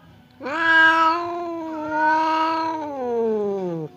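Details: Two pet cats, aggressive Temon and calm Lelo, separated by a barrier while squaring up to fight; one sustained rising-and-falling yowl lasting over three seconds, pulsing in loudness and sliding downward at the end.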